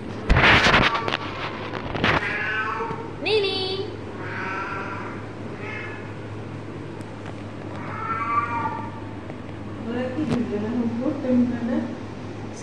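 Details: Playful pet cat meowing repeatedly beside its owner, with several stretched, tonal meows spaced a few seconds apart, a sharp knock near the start, human talk and a constant low hum underneath.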